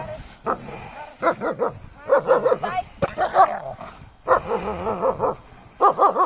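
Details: German Shepherd dog during protection training, giving deep, harsh barks in quick bursts of two to four, with short pauses between volleys; a person speaks faintly in the background.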